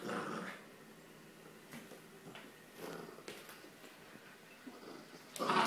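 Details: Corgi named Ventus playing with a rope toy indoors: rough, low growling bursts open and close the stretch, with quieter chewing and tugging noises in between inside a small room.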